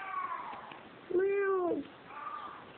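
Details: Female cat in Kos, Greece, meowing constantly while trying to get into a room; one loud, drawn-out meow that rises and then falls, with fainter meows before and after, indoors.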